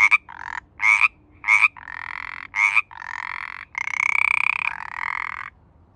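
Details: Pacific chorus frogs calling in mating season: quick raspy ribbits give way to long buzzing trills that overlap and swell, ending with a drawn-out rattling call.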